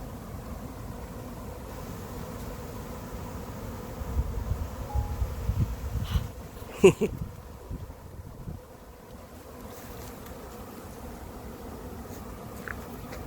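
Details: Dense, even droning hum of a 2021 late-season honey bee swarm settling into an empty, as yet unprepared hive, with a couple of sharp knocks or clicks near the middle and a faint low rumble throughout.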